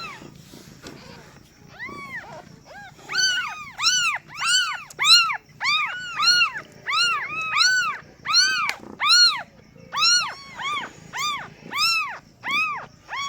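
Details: Newborn kittens just born to a first-time mother cat, meowing: repeated high arched mews, about fifteen in quick succession after a quiet start, each rising then falling, with overlapping voices from more than one kitten.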